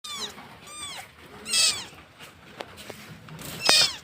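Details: Cat in Bangladesh giving short descending meows, with sharp broadband clicks and a brief noisy burst between calls.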